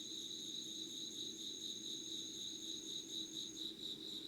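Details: Crickets and other insects in Yugawara, Kanagawa, Japan, recorded at 5 a.m. on 25 August 2019: an even, high pulsing trill in quick regular beats layered over a thinner sustained tone above, with a faint low hum underneath.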